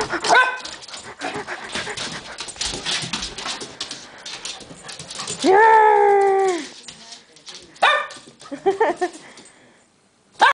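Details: Keeshond named Duke gives one long, loud, drawn-out whine that holds steady and then drops at the end, set among human speech, rustling and a few brief yelps.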